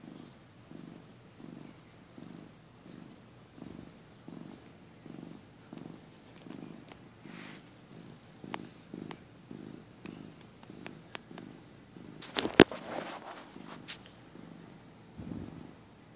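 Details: Softer purr of a napping domestic male cat, early 2015: gentle low pulses repeat steadily, then a few sharp clicks and a rustling bump interrupt toward the end.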